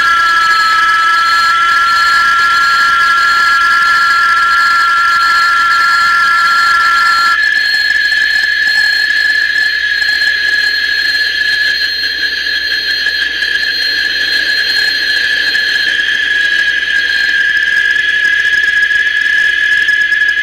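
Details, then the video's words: Cicada, chicharra or cigarra (Chikilichi in Náhuatl), said to predict rain and heard mostly in the warmest season, singing males: a steady, piercing whistled drone with layered overtones that shifts abruptly to a slightly different pitch partway through and continues unbroken. "Canto de la chicharra o cigarra"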